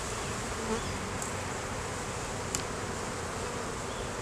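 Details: Colony buzz of honey bees inside a hive being inspected, where a laying queen and honey were found after a month without sign of her. The even, dense drone persists with one brief tap midway. Captured on a Canon Rebel T6 DSLR.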